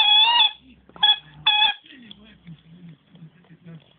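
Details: Nemo, a dog that squeaks instead of barking, gives three high, thin squeals in quick succession, the first drawn out for half a second and the others short, followed by soft, low human talking in an indoor room.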